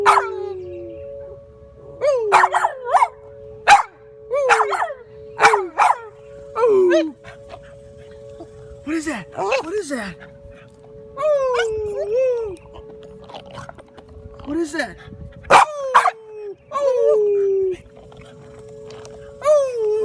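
A Boston Terrier howls in short, falling, wavering notes over the steady two-tone wail of a siren.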